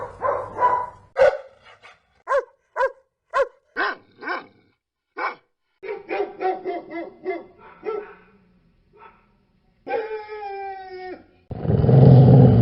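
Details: A dog giving a long, irregular series of sharp, short barks, sometimes in quick pairs, then a drawn-out whining howl near the end, followed by a burst of broad noise.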